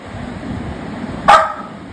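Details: Tuktuk, a pet Labrador Retriever described as angry, lets out a single short, sharp bark about midway through, set against a steady low indoor hum.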